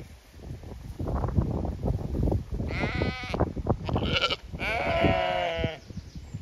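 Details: Several harmonic, wavering bleats from a Zwartbles sheep flock on a County Kilkenny farm in Ireland that expects to be moved to fresh pasture, over trampling and grazing noises.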